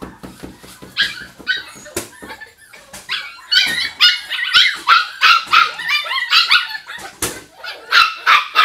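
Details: Several Jack Russell Terrier puppies yipping in overlapping bursts: rapid, high-pitched, squeaky yelps and short whines, several per second, growing denser and louder toward the end, with a few sharp knocks in between.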